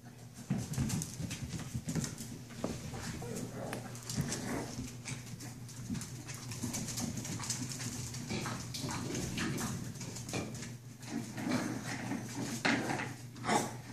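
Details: Puppies playing indoors in a small room, giving short whimpers and yips in quick bursts over low rumbling, with scuffling and thumping from their play throughout.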